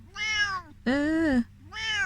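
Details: Korat cat, a 14-year-old Thai-born cat now living in England, at a vet visit; three drawn-out harmonic meows, the middle one loudest and longest with a slightly falling end, in a quiet room.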